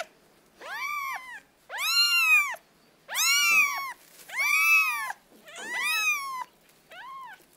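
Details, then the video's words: Kittens giving repeated high, piercing mews, each an arched cry roughly half a second long, coming about once a second in a steady insistent run, nothing else heard. "The sounds cats: kittens"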